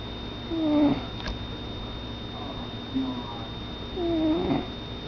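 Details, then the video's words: Cappy, a pet cat, snoring. A whistly nasal tone sounds on each breath, with a weaker one midway, and each breath trails into airy exhaling. A constant thin high whine runs underneath. "My Cat SNORING"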